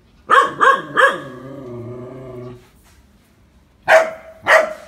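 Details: Phu Quoc Ridgeback dog in Vietnam, training to catch snakes, gives three quick loud barks, a trailing whine-like tone, a pause, then two more sharp barks.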